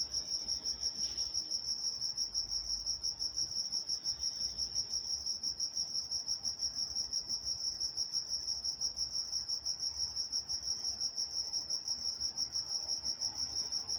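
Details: In Walnut, California at night, crickets produce a continuous shrill pulsing trill, evenly rhythmic and unchanging, with only a faint low murmur underneath.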